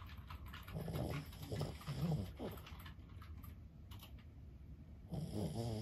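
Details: Lulu, an elderly Boston Terrier aged 15, asleep and snoring: a run of short, throaty, snorting breaths early on, then a louder rattling snore at the end, all in a quiet room.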